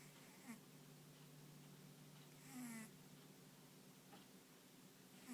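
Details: A sleeping dog named Ponta, deep in slumber, lets out one clear rasping snore midway through, with fainter breathy snuffles before and after. A constant low hum runs underneath.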